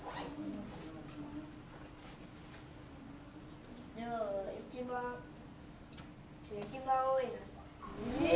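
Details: Angry voices during a fight between gorilla mother Genki and son Gentaro of the Momotaro family, filmed 7 July 2023: after a quiet start, short curved harmonic screams repeat around the fourth, fifth and seventh seconds, with steady shrill insect noise behind.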